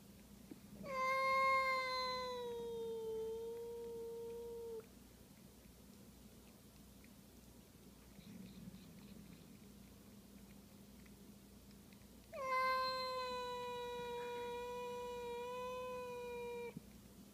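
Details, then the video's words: A pet cat making an unusual sound indoors: two long, steady, harmonic wailing calls of about four seconds each, slightly falling in pitch, separated by a quiet gap with faint background hum. "making a weird sound"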